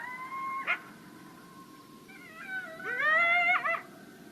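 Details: Coyote (Canis latrans), howls and yips.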